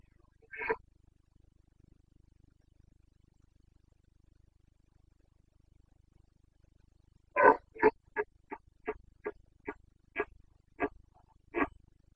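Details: Carpathian red deer stag roaring in the Bucovina forests during the rut, 29 September 2022. After a lone harsh bellow, a loud opening roar leads into a fast series of about ten short, throaty grunts, roughly two a second.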